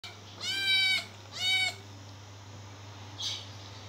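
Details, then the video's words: Cat called Limon heard indoors, giving two high, drawn-out meows in quick succession, each thin and slightly wavering, followed by a faint brief squeak; a steady low hum runs underneath throughout. "Kedi Limon ne istiyor ?"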